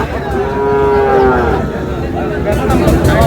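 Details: Sahiwal breed bull calves gathered with a Sylhet farmer in Bangladesh, 22 May: one drawn-out, even moo lasts nearly a second near the start. Shorter, fainter lowing follows, with human voices and background hubbub throughout.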